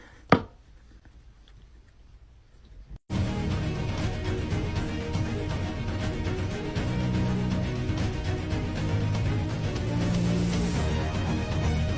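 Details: Loud upbeat music fills the room after a sharp click and a near-silent opening, with no animal voice heard.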